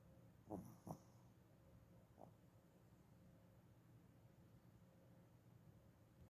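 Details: Sleeping dog, recorded January 7, 2021, gives two quick snuffling snorts close together, then a third softer one a second later, before settling into faint low steady breathing in a quiet room.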